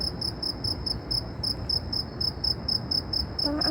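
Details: Loud insect in Saudi Arabia giving a rapid series of short, shrill, high chirps, roughly four per second and evenly spaced, with a brief faint tonal sound near the end and steady low background hum.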